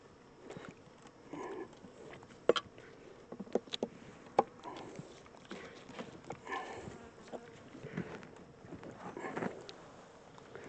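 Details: Honey bee swarm, the second one caught, being moved from a small temporary box into a larger regular hive while drawing comb; a low steady hum runs beneath repeated sharp knocks and clicks from frames being handled.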